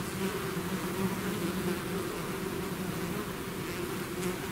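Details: Swarm of bees leaving its hive: a constant, layered hum of many wings, deep and even, with a few nearer bees adding brief louder whines.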